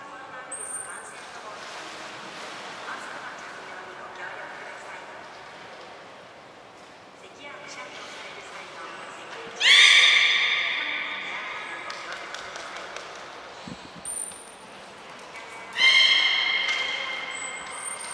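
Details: Training session with belugas Hodoi, Gray, Nana and Niko at Port of Nagoya Public Aquarium on 5 June 2021. Two loud harmonic calls rise out of a murmur of voices and room noise, and brief high whistle tones sound several times.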